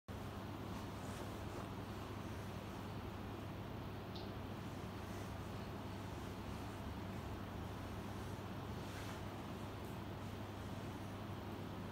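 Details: Steady low traffic rumble and broadband road noise on a hot summer afternoon; no animal sound.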